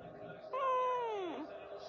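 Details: Kitten giving one drawn-out meow, steady then falling at the end, over quiet background murmur.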